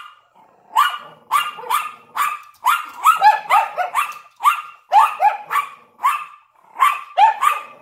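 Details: ['Yorkshire Terrier barking at a window alongside a Lhasa Apso: sharp, high yappy barks in quick bursts, often doubled, about one to two per second across the clip, with quiet gaps between.']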